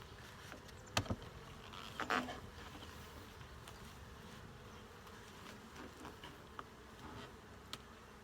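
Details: Low continuous hum of honey bees at a hive being opened for a full inspection, with two sharp handling clicks near the start and occasional light taps over the droning background.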